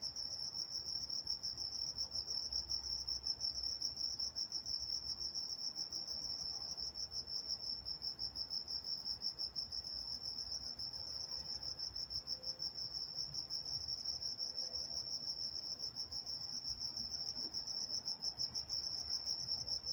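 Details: Night-time crickets in Walnut, California: a steady high-pitched band of rapid pulsed chirps continuing without pause, several insects blending into a tranquil ambient chorus with faint low background rumble.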